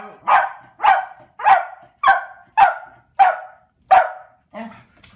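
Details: Corgi barking as its owner arrives home to a household of corgis: seven sharp, mid-pitched barks spaced about every 0.6 seconds, each with a quick fall, ending in a softer, shorter yelp.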